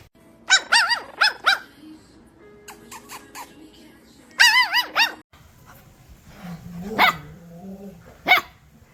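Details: Puppy barking at the camera or an off-screen sound: high, tonal yips in quick runs of three or four, a pause, another short run, then scattered barks over a low hum, with music possibly underneath.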